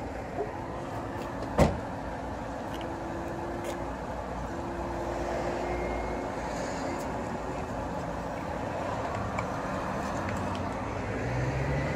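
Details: Steady road and engine rumble inside a moving car, with a sharp knock near the start and faint speech, and no animal sound.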